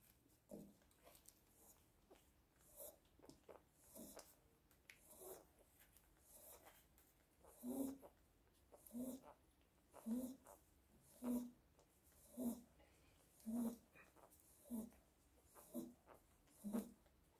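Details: One-week-old Biewer Yorkshire Terrier pups indoors, giving short squeaky grunting calls that grow louder midway and then repeat steadily about once a second, with soft breathing and snuffling between them.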